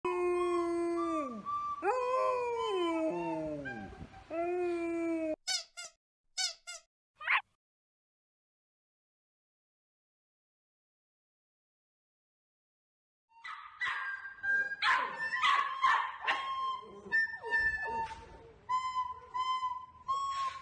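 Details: Male golden retriever howling along to a recorder: wavering, sliding howls with rich harmonics for about five seconds, a few short bursts, a long silence, then more howls over steady recorder notes.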